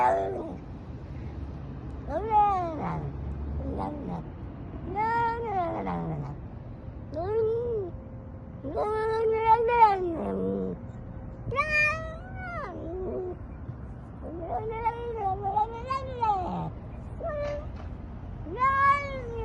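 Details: Pet cat meowing repeatedly, each call an arched, harmonic-rich yowl, coming in quick irregular succession for about twenty seconds above a low background hum.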